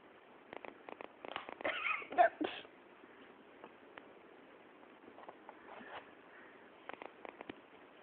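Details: A pet ferret named Beastie, playing indoors: a burst of rapid clucking, chattering sounds around two seconds in, then scattered softer clicks and chuckles, with quiet room noise between.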